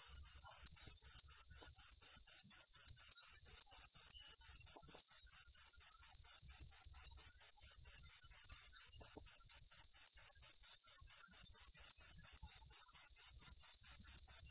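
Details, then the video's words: Continuous cricket chirping for falling asleep and repelling rats: bright high-pitched pulses repeating steadily, roughly three per second, over near silence. "Suara Jangkrik"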